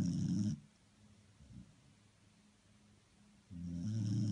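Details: Sleeping dog snoring, a low rough rasping breath that fades out, pauses for about three seconds with a faint snort midway, then returns with loud low rumbling.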